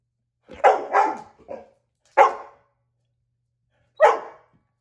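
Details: A domestic dog gives a quick double bark with a softer trailing yelp, then two more single barks spaced well apart, each bark abrupt and rough.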